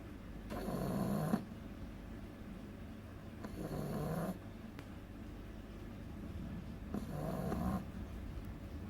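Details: Loud sleeping snores from Agatha, a two-month-old beagle puppy. Three rough, nasal inhalations arrive about three seconds apart, each lasting under a second, with gentle breathing and a hushed room between them.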